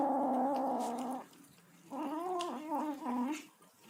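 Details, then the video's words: While eating, a tabby kitten gives a steady harmonic whine, pauses, then produces a second wavering, undulating moan with small pitch dips, over faint background chewing. "kitten making noises while eating"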